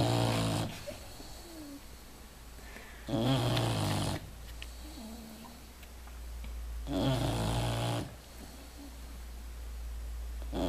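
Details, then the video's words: Deeply sleeping English Bulldog snores steadily, giving three loud, rumbling inhaled snores about every four seconds, each rich in low buzzing harmonics, with softer airy breaths between them. "Bulldog anglais qui ronfle !"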